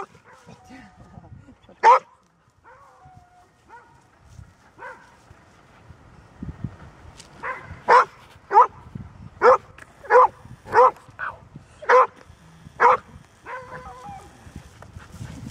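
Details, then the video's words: Golden Retriever, a normally quiet dog, barking persistently: one bark, a pause with soft background sounds, then a run of about ten evenly spaced loud barks roughly twice per second. ""Bellen", Golden Retriever"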